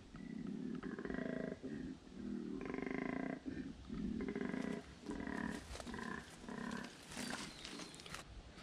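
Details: Wild male koala up a tree in Australian bush, calling as if telling the observer to back off: a series of low, grunting, rasping bellows in rhythmic bursts about every second, ending in scratchy rustles.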